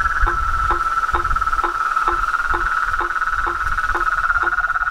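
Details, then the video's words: Noisy gathering of toads, frogs and treefrogs calling at dusk at a pond beside a house: a constant high trill and brisk, regular short falling notes about twice a second, with some low thumping underneath. "A SINFONIA DOS SAPOS, RÃS E PERERECAS"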